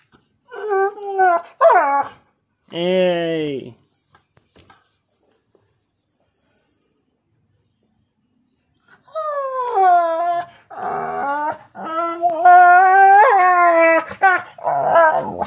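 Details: Pet dog vocalizing while a husky and a pitbull play-fight with nibbles at home. Short bursts of loud, tonal, bending yowls and whines, then a long silence, then a string of wavering, talkative howl-like calls, rising and falling in pitch.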